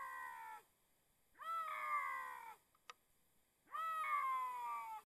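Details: Bobcat seeking a mate gives drawn-out, nasal, meow-like wails with rich harmonics, each lasting about a second and gently falling in pitch, repeated three times with a sharp click between.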